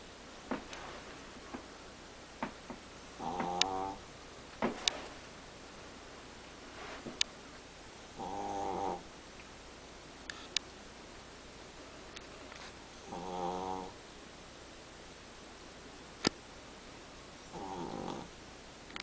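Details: Chihuahua snoring through a morning nap without waking; short quiet harmonic snores every few seconds, separated by sharp clicks and low room noise.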